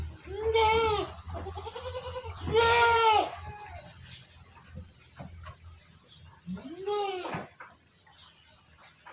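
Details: Etawa goats of Kaligesing stock, breeding bucks and does kept in Purworejo, Central Java: three loud bleats, the second long and strongly harmonic, the last rising then dropping, over a low hum, light knocks and continuous hiss.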